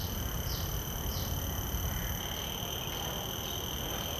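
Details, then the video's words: Common cicada in a field recording made with shotgun microphones into a Zoom F3 recorder: a steady, shrill, high whine that never stops, with faint regular pulses about every half second, over a broad hiss. "Calls of a Common Cicada"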